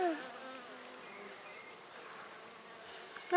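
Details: Honey bees, calm during a spring inspection of a top bar hive in May 2014, hum in layered low and middle tones that waver slightly, with a brief louder rise at the very end.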